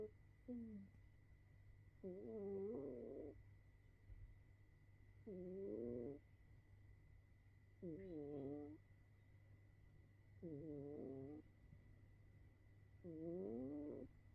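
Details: A sleeping cat snores loudly in slow, rhythmic drawn-out breaths. Each snore is a wavering, tonal, nasal rasp lasting about a second and recurs roughly every two and a half seconds. A steady low hum and a faint high whine sit underneath.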